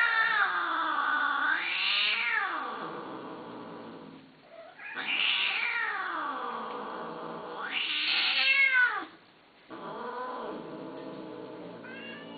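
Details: A cat yowls in long wavering calls that swoop sharply up and down in pitch. Four drawn-out cries follow one another, with brief pauses between.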